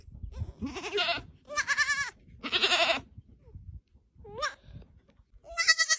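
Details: Tiny baby goats on a farm bleating: several short, high, wavering cries, each about half a second, with a strongly quavering, trembling tone and brief silent gaps between calls.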